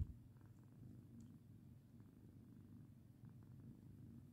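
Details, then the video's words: A pet cat purring while being patted indoors; a low, steady rumbling purr runs throughout with soft faint clicks above it. "Purr and hiss!"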